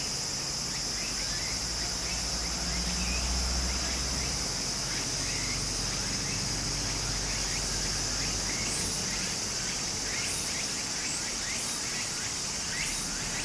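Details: Cicadas in summer beside a stream in Japan: a steady high shrill drone layered with short rising buzzy phrases repeated about three times a second, over the broad rushing murmur of flowing water.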